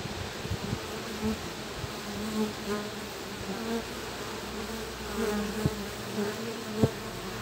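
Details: Honey bees at a hive entrance, guard bees communicating with a future forager joining them, Monday 3 July 2023 around 1 pm, 18°C, mostly cloudy, south-southwest wind; low steady wing hum with short louder buzzy bursts and faint clicks.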